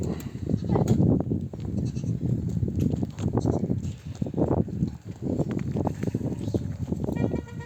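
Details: Nomadic flock home from desert grazing, mothers bleating so their lambs will nurse; overlapping bleats and busy shuffling fill the scene, with a thin, quavering cry closing the clip amid ongoing livestock bustle.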